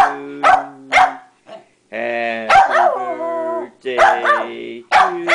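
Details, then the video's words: A female Pembroke Welsh corgi sings along to Happy Birthday, as she does whenever she hears the song. Her drawn-out, wavering howls are rich in harmonics and some slide downward. Short yelps break them up, with a person nearby. "Missy singing Happy Birthday"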